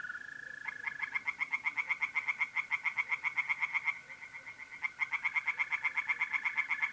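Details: At a pond in north-east Italy on a mid-April night, tree frogs call in fast, harsh, evenly pulsed croaking runs, about four pulses a second, with a brief pause midway. Mole crickets trill steadily underneath.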